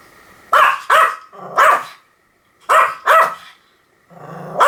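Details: Small Pomeranian barking in quick clusters of two or three bright, ringing yaps, with a low growly rumble beneath some barks and brief pauses between bursts.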